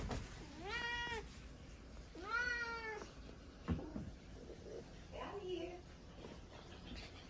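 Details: Chatty house cat giving two long, wavering meows in quick succession, followed by softer, shorter murmured sounds and faint background voices.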